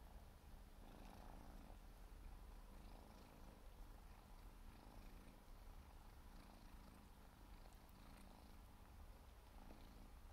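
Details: Siberian forest cat kitten, four months old, grooming and purring; a constant deep vibrating rumble pulses gently in rhythm with breathing, overlaid by soft repeated licking sounds.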